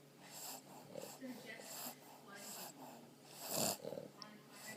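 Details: Stella and Maverick, a pair of Boston Terriers, sleeping on a pregnant belly and snoring with wheezy, hissing breaths repeating roughly each second, one louder snort near the end.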